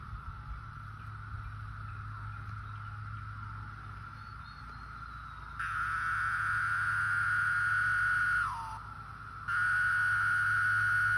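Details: Cicadas singing in the countryside over recent weeks, a steady droning whine that jumps abruptly louder about halfway through, sags briefly near the nine-second mark, then resumes at full strength over a low background rumble.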